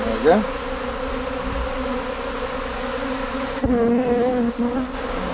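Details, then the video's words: Honey bee swarm at a visitor centre, a colony on the move looking for a new home; steady low buzzing hum with a short whistle-like sweep at the start and a person's voice joining near the end. "Bees On The Move"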